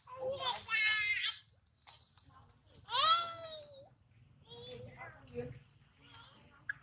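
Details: Screaming baby monkey Daniela, stolen from mother Dana, calls loudly for her mother: two long rising-falling harmonic shrieks, one near the start and one midway, with lower squeals after and a constant high-pitched whine throughout.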